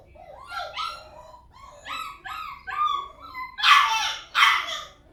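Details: Several puppies yipping and barking in quick, uneven bursts. High, whiny yelps are followed by two louder, harsher barks near the end, with a quiet background.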